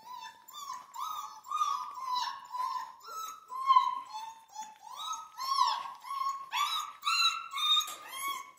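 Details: Central Asian Shepherd puppies in Michigan whine nonstop in a busy, overlapping series of high, wavering cries. Some notes rise and others fall, arriving every half second or so, with no clear pauses between them.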